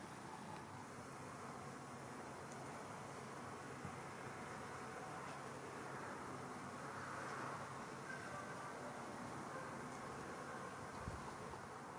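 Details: Steady outdoor traffic rumble and broad background noise with faint speech, and no animal calls.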